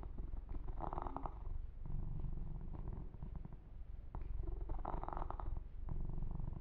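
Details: Pet kitten Yumak purring through a massage, an even, throbbing low rumble while two louder patches of rubbing against fur rise and fade.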